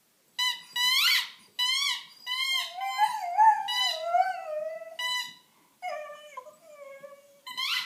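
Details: A five-month-old female Dalmatian howling indoors beside her squeaky toy bunny, a run of rising, wavering high howls with yelping starts, some long drawn wails sliding downward, roughly one every second with brief gaps.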